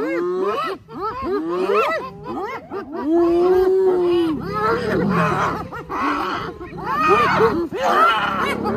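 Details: Spotted hyena clan at Arathusa Safari Lodge in early August, rallying to rescue a clanmate from a lion; dense overlapping rising-and-falling whooping giggles from several animals, one long steady wail midway, calls tumbling over each other almost continuously.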